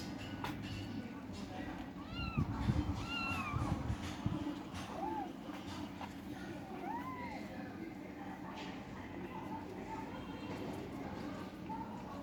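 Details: Kittens competing over food, with several short, thin meows scattered through the clip. Some rise and fall in quick pairs. Low rumbling and a steady background hum run beneath them.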